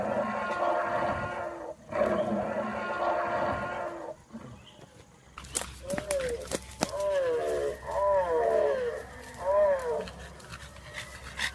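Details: A French Bulldog puppy, filmed for a funny pet compilation, makes wavering, yodel-like whining howls that rise and fall in short bursts, following a stretch of human voice at the start.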